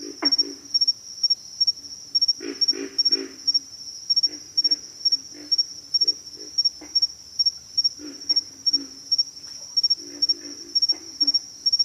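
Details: Several pig frogs give low, throaty grunts in short clustered runs, some louder bursts standing out, while a continuous shrill insect whine holds steady above.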